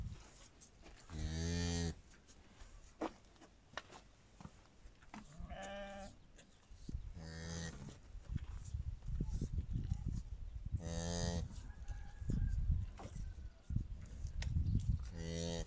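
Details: Around a village cow in Kazakhstan that has just calved unassisted, short nasal lowing calls recur about every few seconds, each roughly half a second to a second long, over background voices and rustling.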